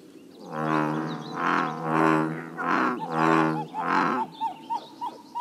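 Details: Bullfrogs croaking at a Northern California pond: five loud, low, resonant booming croaks roughly one per second, followed by a run of short chirping notes after the calls stop.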